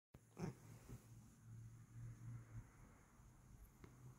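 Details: Kokoa, a Bengal cat, indoors while being given scritchies, purring as a low steady rumble. The rumble swells and fades over a few seconds, with a brief louder rustle near the start.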